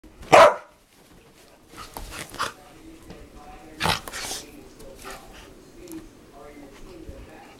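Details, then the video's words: Dogs making funny noises while playing: one sharp loud bark at the start, then scattered softer yips, grunts and scuffling sounds, with faint speech in the background. "DOGS PLAYING MAKING FUNNY NOISE"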